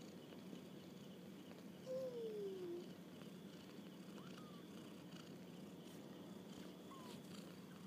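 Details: Kittens on their first walk about, one drawn-out mew sliding downward in pitch, followed later by a few faint short calls, over a steady low hum and background hiss.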